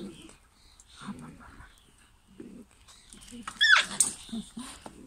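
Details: German Pinscher puppies from a 2022 UK litter: soft low grunting bursts, then a brief high squealing whine that rises and breaks near the end, in a quiet indoor setting.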